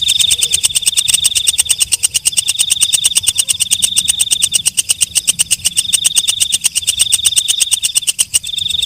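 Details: Katydid known locally as walang kecek, calling with a steady run of sharp ticking pulses, several per second, over a high metallic trill. The trill breaks briefly now and then. The background is quiet.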